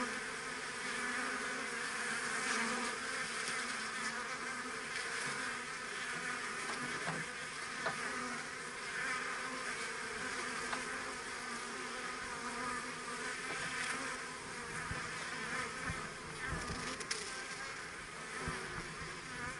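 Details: Busy bees of a home colony; dense, continuous buzzing hum with a bright whining edge, holding steady throughout with no pauses.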